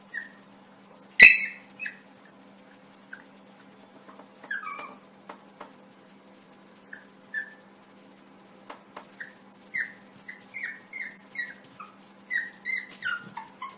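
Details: A young Yorkshire Terrier, reacting to its mirror image as if to a second puppy, gives a long run of high, thin, downward-sliding whimpering yips. One loud yelp comes early, and the yips grow more frequent toward the end, nearly one per half second, indoors.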